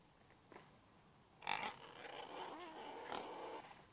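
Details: Domestic pig (Hausschwein) giving a sudden short, high squeal, then a drawn-out wavering grunt that rises and falls in pitch for about two seconds. Quiet indoor background with a few faint knocks.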